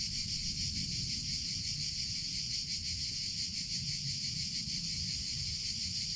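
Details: Cicadas in summer producing an unbroken high, hissing buzz with faint rhythmic pulsing, accompanied by a somewhat stronger low rumble in the background.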